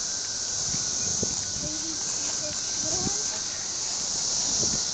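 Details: Cicadas in a steady, unbroken high-pitched hissing drone that holds evenly throughout, with faint talking and scattered low clicks beneath.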